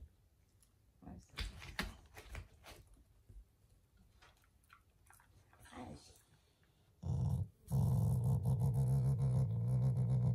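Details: Shiba Inu, a loving family dog, growling out of affection rather than anger indoors; quiet handling noises and a few spoken words, then a sustained low rumbling growl over the last three seconds.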